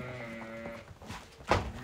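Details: Fat-tailed sheep brought to a trader's pen in Uzbekistan bleat in a long, even, nasal tone for almost a second, followed by shuffling noise and a sharp knock.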